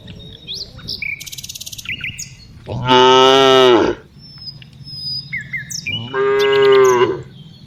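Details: Two loud, rich, sustained moos about three seconds apart from tame cows herded in the afternoon, with small birds chirping and trilling in the gaps.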